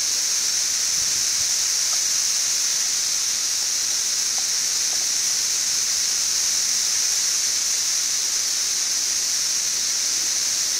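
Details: Periodical cicadas of the 17-year Brood XIV swarm by the millions on a hot, bright June 2008 day in Frankfort, Kentucky, their combined chorus a constant high shimmering drone without pauses.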